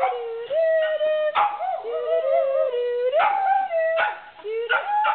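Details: Male Coton de Tulear dog singing along to Happy Birthday with his owner; sustained tonal howls that hold steady, slide upward and break into sharper yelps, with a person singing alongside.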